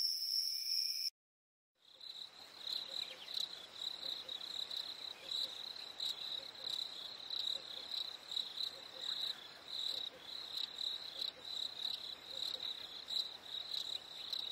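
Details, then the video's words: Night crickets on a warm summer evening: after a short clean high tone and a moment of silence, a pulsing, high-pitched trilling chorus swells and ebbs steadily. "Fireflies and Crickets - Calming sounds of the night"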